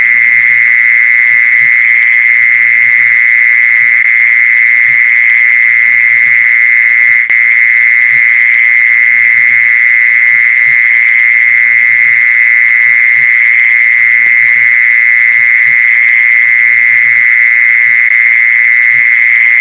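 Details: Mole cricket sound, used to lure mole crickets: an unbroken, steady, high buzzing trill that holds one pitch throughout, with a fainter, even higher whine above it and soft low knocks underneath.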